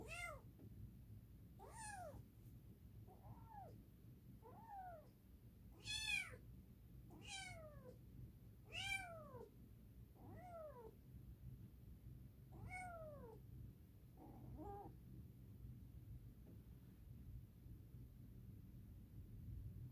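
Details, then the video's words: A long run of roughly ten meows from Edgar the cat, short arched cries repeated every second or two, some louder and higher than others, fading in the last seconds over a low indoor hum. "Edgar the cat, here me roar"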